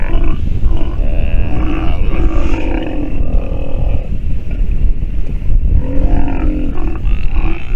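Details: Nursing sea lion pup making hoarse, guttural grunts and moaning calls in short bursts, over a constant deep background rumble.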